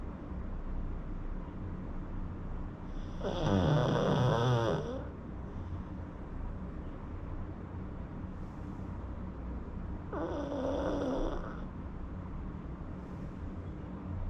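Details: Pug asleep, snoring in two separate rasping breaths about seven seconds apart, the first louder and longer, with a steady low background hum between them.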